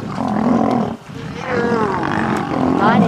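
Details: Nkuhuma Pride lions and Birmingham males fighting at sunrise: harsh snarls with curving, wavering harmonics, a short break after one second, then renewed snarling while a man comments.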